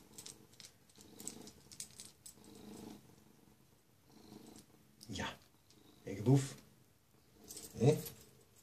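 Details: A domestic cat named Zlatan, overjoyed at its owner's return home, purrs in soft rhythmic pulses before two louder vocal bursts, while a person speaks nearby in a small room.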